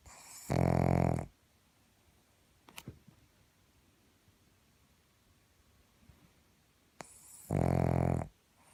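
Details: Pug snoring loudly: two deep, rattling, low snores, each about a second long and some seven seconds apart, with soft quiet breathing and a faint click between them indoors.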